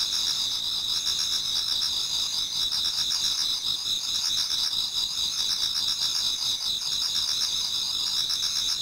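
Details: Autumn insects in a Japanese garden toward dawn form a thick, unbroken high shimmer of overlapping trills, several bright bands sustained throughout, with softer rhythmic pulses underneath.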